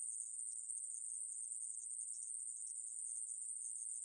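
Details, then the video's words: Ae-maeburi conehead katydid, an insect recorded in 2020: an unbroken, high, hissing buzz held steady throughout, with tiny flickers in its texture and no other sounds. "애매부리, 여러번 듣기, 곤충소리"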